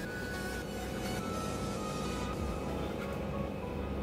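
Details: Dense electronic music with a droning, engine-like rumble fills the whole stretch, and no animal is heard.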